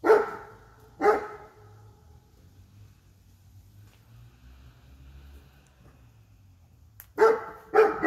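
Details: A female Great Dane, scared of a bear statue in a garden, gives deep, loud barks, two close together and then a quick pair later.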